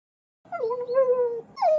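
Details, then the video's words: Puppy giving a drawn-out tonal whine lasting about a second, steady then falling, followed by a short higher rising yelp. "learn the names and sounds of animals: puppy"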